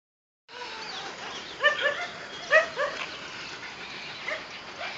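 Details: German Shepherd dog giving a few short, whining yips with clear stacked overtones, clustered in two quick bursts near the middle, then softer whimpers toward the end over a steady background hiss.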